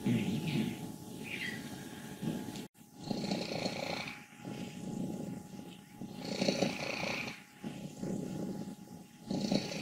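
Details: Wassilissa, an old happy female cat of 14 from Leutkirch im Allgäu, makes a loud rattling, grumbling purr in long rough phrases, broken by a sharp click partway through.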